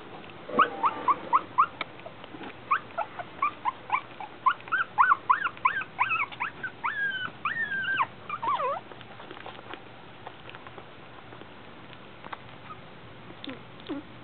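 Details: Shih Tzu puppies, 22 days old, from Lily's litter, in a rapid run of high, squeaky, rising-and-falling whimpers and yips, many in quick succession over several seconds, then quieter scattered squeaks and faint rustling.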